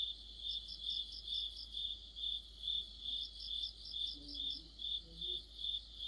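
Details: Autumn insect chorus led by crickets: a shrill chirp pulsing steadily a little over twice a second, joined by a higher caller's rapid stuttering buzzes, with faint low murmurs in the background.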